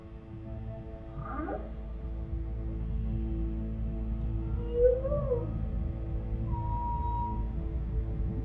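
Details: Humpback whale song recorded underwater by NOAA: a falling swoop, an arched moan and a long steady whistle over low hum.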